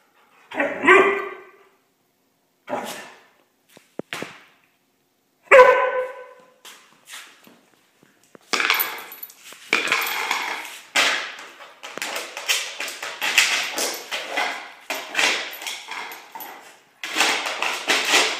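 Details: Lola, a German Shorthaired Pointer, plays in a garage, chasing a lid that slides across the floor. Two short, harmonic bark-like yelps come in the first six seconds, followed by long stretches of clattering and scraping as the lid skids.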